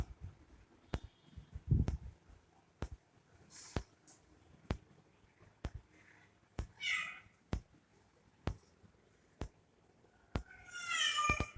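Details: Domestic cat giving a few short, high, strained meows, one rising and wavering, spaced several seconds apart, over steady sharp ticking clicks repeating about once a second in a quiet room.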